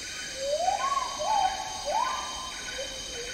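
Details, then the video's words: Agile Gibbon in Malaysian tropical rainforest giving three clear rising, swooping hoots in quick succession, then softer low notes, with a steady insect buzz underneath. "Agile Gibbon Song & Calls"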